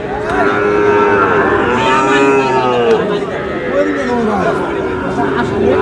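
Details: Sahiwal bull calf at a cattle market on 19 August, being bought by a farmer from Khulna; several wavering, mid-pitched moos rise and fall over a constant murmur of crowd chatter and bargaining voices.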